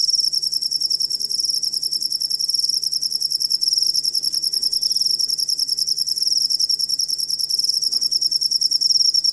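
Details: Cricket sound used as a master recording for training songbirds: a dense, high, shrill pulsing trill, about three pulses a second in steady rhythm, with a bright upper overtone throughout and a faint low hum beneath.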